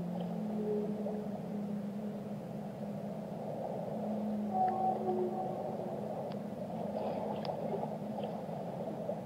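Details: Song of a whale: low sustained moans and short rising tones repeat through the recording, with occasional sharp clicks and a brief higher whistle. A steady underwater hiss and rumble sits beneath.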